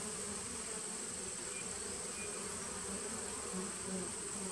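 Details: Honey bees of a 2017 nucleus colony, recorded on 19 September 2018: a dense, steady hum with a low droning core and a faint thin whine above, holding level without pause for the whole stretch.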